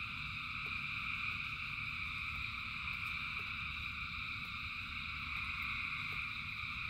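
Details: Massed frogs singing during rain: a seamless, shimmering high chorus held at a constant level throughout, backed by steady low-frequency noise and sparse soft clicks.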